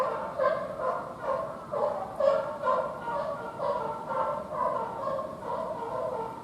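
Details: Young serval kitten born 29 May 2020, captive at Higashiyama Zoo, recorded 17 December 2020; a run of short, nasal, harmonic calls repeated about twice a second, steady and moderately loud, with no other clear sounds.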